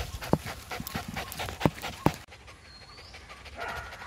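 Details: A Lhasa Apso puppy out walking gives three short, sharp yips spaced unevenly over two seconds.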